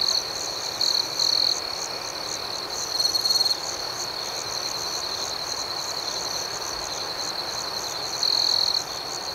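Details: Crickets chirping through the night: a dense shrill chorus with steady rapid beats, punctuated by several brief louder chirp bursts near one, three and eight seconds.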